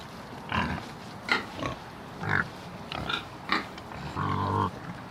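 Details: A pig (Sus scrofa domesticus) gives a run of short, rough grunts, ending in a longer nasal squeal.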